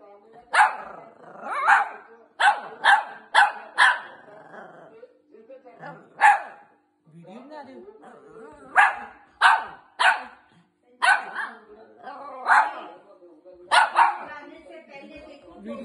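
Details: A Shih Tzu wagging its tail gives sharp, high yapping barks in quick bursts, with a person's voice in between.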